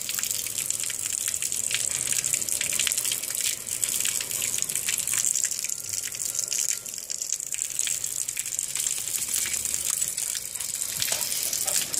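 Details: Steady gushing water, like a running tap, fills the whole recording. No animal sounds are heard.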